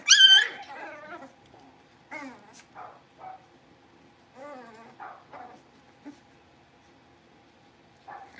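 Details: Blenheim Cavalier King Charles Spaniel puppies from a litter of five born at New Year, moving into a bigger pen: a loud, high squealing yelp opens, then scattered short whimpers and yips with quiet gaps between them.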